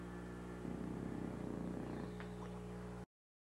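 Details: Sammy the bulldog snoring on a couch after a hard day of Christmas shopping, a rapid rattling, throaty vibration for about a second and a half over a steady low hum, then cut off abruptly.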